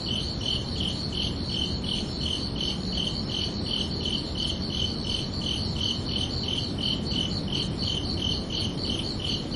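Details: Steady high-pitched cricket chirps at night on a summer evening, a regular train of short ringing pulses that runs without pause over a quiet low background murmur.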